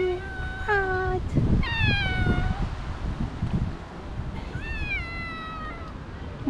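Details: Cat meows near a mother cat and her two kittens. Several short descending meows come in quick succession, then a pause, then one longer meow, with a person speaking gently in the background.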